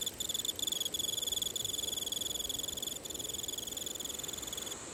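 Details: Emma field cricket in autumn calling for a mate: a steady, high, metallic chirping of rapid pulses repeated about three to four times a second, with brief gaps, over a soft hiss of background noise.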